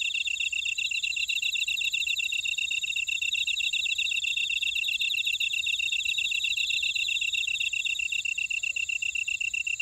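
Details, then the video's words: Constant high insect song from grass insects in a buckwheat field at Ora-dong, Jeju City, Jeju Island, South Korea. Quick, even pulses and ringing trills blend into a dense, unbroken chorus with nothing else audible. "제주 메밀밭의 풀벌레 소리 (Sound of a buckwheat field)"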